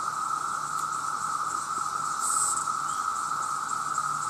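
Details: Male cicadas in a massive chorus, calling to attract mates: a constant loud whirring drone, with a brief sharper high hiss swelling near the middle.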